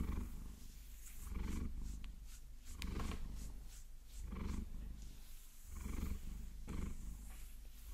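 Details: Maine Coon named Vasilisa purring as long nails massage and scratch her, binaural recording; continuous low rumble pulsing about every second and a half, with bright scratching strokes and an occasional tap on top.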